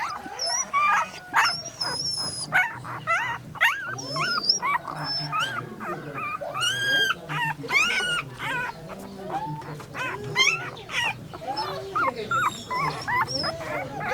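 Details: A puppy yips and whimpers, giving rapid high yips and thin, wavering whimpers with little pause between them.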